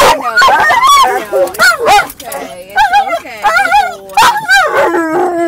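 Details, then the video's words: Inside a car, a dog gives a comical mix of warbling, howl-like whines and yodelling yelps that rise and fall, with occasional sharp barks, while another dog moves around. "funniest dog sound"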